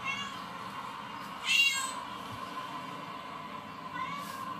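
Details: Cats meowing on TV while household cats Snoopy and Mickey listen. One loud, high meow midway and a fainter one near the end, set over a steady electrical hum and a hissing background.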